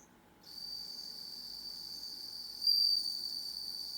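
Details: Bell cricket kept at home, singing once darkness falls: a continuous shrill ringing note starts abruptly and runs unbroken, swelling louder toward the end.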